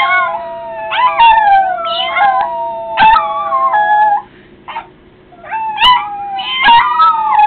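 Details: Pet Yorkshire terrier named Litter Bug howling in reply to people meowing: long, wavering, sirenlike tones that slide up and down, with a short break near the middle before the howl resumes, rising and falling again.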